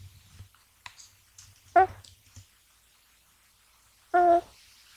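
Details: Deeply sleeping American Shorthair kitten Gash, male, snoring despite being touched; two short, even-pitched, buzzing snores separated by a couple of seconds, with soft rustles in a quiet room.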